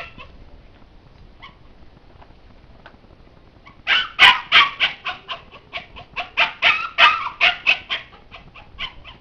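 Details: Labrador Retriever kept behind a homemade fence made from a ladder, trying to get through to reach the gate. After about four quiet seconds, a fast, steady run of high, piercing yips and barks begins and continues to the end.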